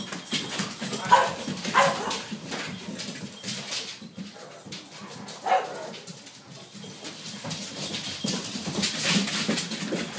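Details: Five dogs, two Great Dane puppies, two Labradors and a pug, play indoors on a snowy day: scuffling, thumping paws and bodies, with scattered short yips and growly bursts at irregular intervals, and brief human voices.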